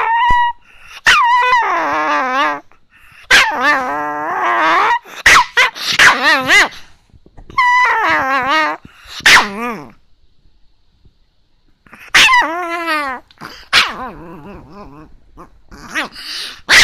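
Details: Chihuahua complaining early in the morning because the owner is slow to get up: wavering whiny growls and high yelping cries in bursts of a second or two, separated by short silences.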